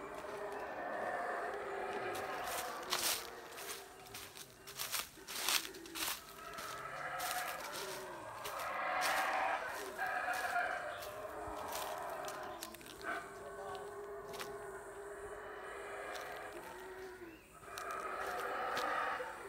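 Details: Wild howler monkeys in a Guatemalan jungle in Central America give hoarse, rolling roars that swell and fade, with rustling and a voice nearby.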